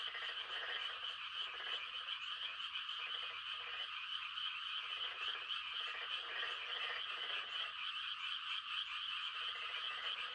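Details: Frogs making mating calls in the Korean countryside at night during rice-planting season: a high, continuous trilling chorus over which deeper croaks come in repeated short bursts, roughly every half second to second.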